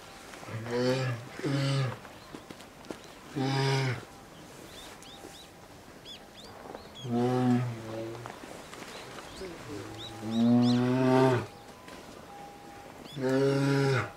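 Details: At Maruyama Zoo, Sapporo, Hokkaido, on 19 January 2017, a two-year-old female polar bear cub pleads to nurse from her 22-year-old mother. Repeated low, buzzy moans, some paired, spaced a few seconds apart, with faint higher chirps and murmurs in the background.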